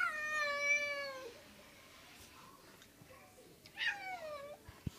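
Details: Female domestic cat trying to reach a new friend, giving a long, loud, drawn-out meow that slides slightly down and fades. A second, shorter meow follows after a pause, with faint room noise between.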